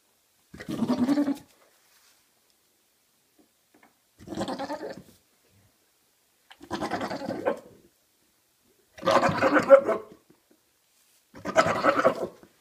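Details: Father and son Maine Coon cats calling in five separate bleating, quavering meows spread irregularly across the stretch, each under a second, with silence between.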